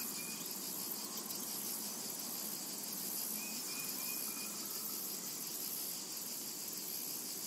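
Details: Cicadas in a summertime meadow produce a constant shrill drone; a short row of soft whistled notes appears early and again around the middle, over the unchanging insect hum.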